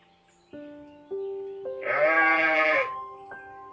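A sheep gives a single wavering, nasal bleat lasting about a second, set against steady sustained notes of background music.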